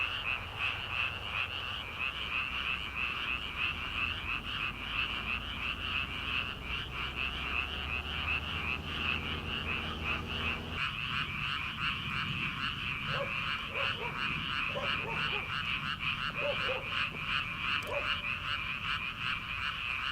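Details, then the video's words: Early-summer frog chorus in rice paddies before transplanting begins: a continuous pulsing high-pitched chorus with a low rumbling hum under the first half, then scattered individual croaks in the second half. "초 여름 개구리 울음소리/ 논에서 들리는 개구리 소리"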